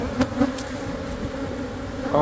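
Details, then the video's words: Honey bees from a months-old hive in a church building wall in Monrovia, droning during hive removal; a constant layered hum broken by a few sharp knocks and a brief rising whine at the close. "Super Massive Beehive Removal At A Catholic Church!"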